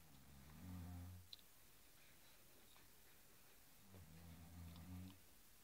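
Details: A Cairn Terrier, facing off with a blue cushion, gives two low, rumbling growls a few seconds apart, each about a second long.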